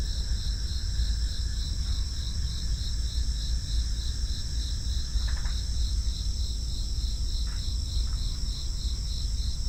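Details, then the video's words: High-pitched crickets trill nonstop in layered pulsing bands. A couple of short tick-like sounds appear in the second half over a steady low hum. "FREE SOUND EFFECTS: Crickets"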